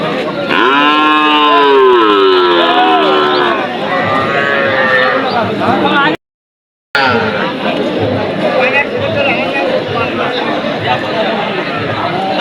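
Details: A cow at the Bogura cattle market gives a long, loud, wavering moo that rises and falls over about three seconds. Several shorter lows follow amid steady crowd murmur and people talking nearby.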